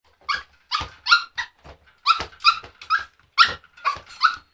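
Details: Dog barking in a series of sharp yips and barks, some grouped in quick pairs, with short growly edges and silent gaps between bursts.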